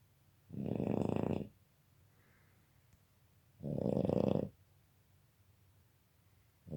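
A sleeping Boston Terrier gives deep, rattling snores, each roughly a second long and returning every three seconds or so. Between breaths the room is quiet apart from a faint hum.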